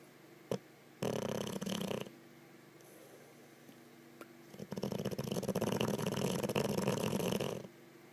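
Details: Olde English Bulldogge (Canis lupus familiaris), snore.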